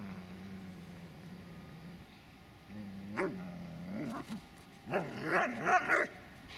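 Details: Dobermann named Magmar Von Der Burgstätte, a low steady growl at first, then a rising whine and a burst of sharp barks toward the end.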